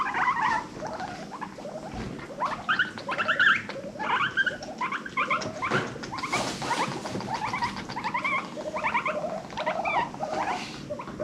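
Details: Pet guinea pigs from a rescued herd of five, calling together in a cute chorus; rapid repeated squeaky rising whistles stacked in bursts throughout, with some rustling and a louder noisy burst near the middle.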